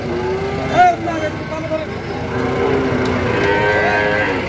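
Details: Sahiwal cattle, fattening bulls and calves at Ambari cattle market in Dinajpur on 18 September 2023. A brief moo rises sharply near the start and then fades under steady crowd chatter and passing engines.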